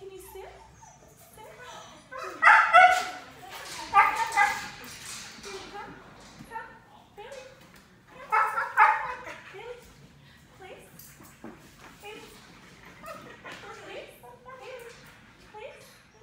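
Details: A five-month-old black Labrador puppy during off-leash training gives two bursts of loud, rough barking with soft whining yelps between them. A person talks in the background.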